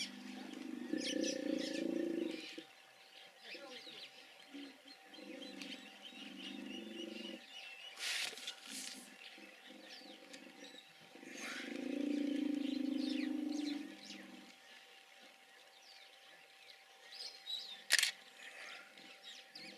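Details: Hippos calling: three long bouts of deep, pulsing honks and grunts, each lasting two to three seconds with pauses between, over a constant hiss of background noise and a few sharp clicks.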